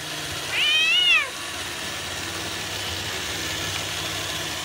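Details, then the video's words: Ranmaru, a Bengal cat showing keen interest in a robot vacuum, lets out a single clear meow of about three quarters of a second, level then sliding downward, over a constant low room hum. "ベンガル らんまる と お掃除ロボット"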